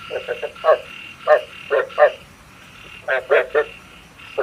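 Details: Frog lure call for night trapping, with scattered short croaks, singly and in pairs, roughly one burst every second, over a soft hiss.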